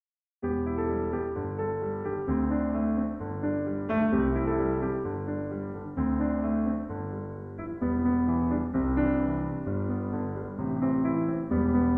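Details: Electric piano plays a soft chordal melody throughout, with no animal sound present.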